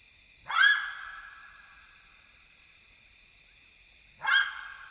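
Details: Side-striped jackal (Lupulella adusta), wild in Kafue National Park, Zambia, calling at night in the African bush; two sharp yelping barks about four seconds apart, each a brief downward-sweeping burst, over a constant high insect drone.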